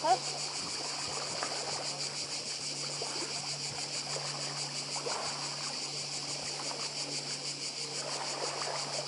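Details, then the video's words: Cicadas calling on Badija Island, Croatia, beside the sea: a dense, steady high buzzing with a fast pulsing texture runs throughout, while soft splashing and lapping of sea water sounds underneath. "Cykady i szum morza w Chorwacji"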